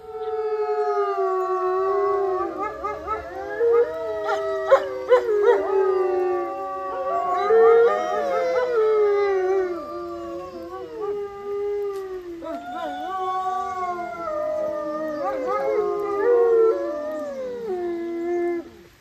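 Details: Wolf howling near Golden, Canada: long sustained tonal howls with smooth gliding pitch, several overlapping voices weaving together in a continuous chorus, steady and unbroken across the whole stretch, with faint broadband clicks and rustles underneath.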